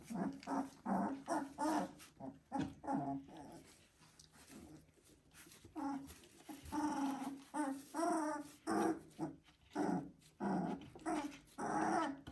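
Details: Several three-week-old Border Collie puppies making a steady chorus of short whimpers and small growls, about fifty bursts per minute, uneven, some rising-falling whines with clear harmonics, indoors.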